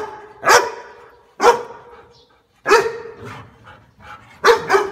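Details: Dog giving single loud barks spaced roughly one second apart, each a sharp harsh burst with a tonal middle, then a final doubled bark.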